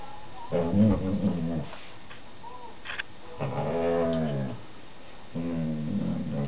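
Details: Playful whippet vocalising to his younger sister, four months old, during play on their sofa: three separate moaning growl bursts, each roughly a second long, rising and falling in pitch, with faint clicks and rustles between them.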